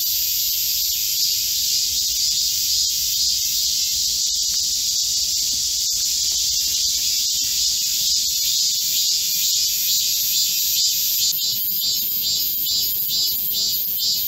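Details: Chorus of Korean cicadas in a midsummer green forest during a heatwave, July 2024: continuous shrill high-pitched buzzing, with a faster pulsing rhythm emerging in the last few seconds, about two pulses per second.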